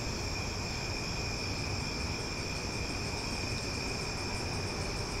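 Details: Cicadas singing loudly after dark in Omaha during summer: an even, high-pitched buzzing drone of stacked steady tones, faint rapid high ticks toward the end, and a low murmuring background hum.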